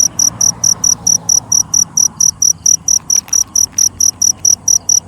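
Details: Nighttime cricket giving sharp, very high, evenly spaced chirps, roughly four per second, loud and regular throughout, over a quiet background.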